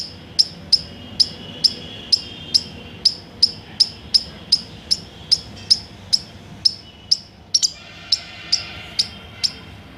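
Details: Squirrel. A squirrel calls with a steady run of sharp, high-pitched chirps, each short and clipped, coming roughly twice a second. Near the end the rhythm briefly stumbles before settling back into the same even pattern.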